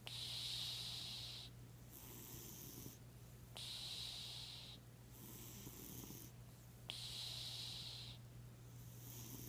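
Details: Randy, a sleeping cat, snoring in slow rhythmic breaths about every two and a half seconds, each a hissy, wheezing inhale-exhale rush separated by short quiet gaps, over a steady low electrical hum.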